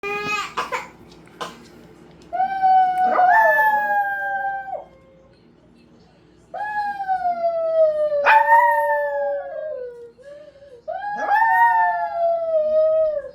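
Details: Five-year-old poodle howling and fake crying at dinnertime in summer, several long wavering howls that rise then slide down, each lasting one to three seconds, with gaps between and a few short yelps at the start.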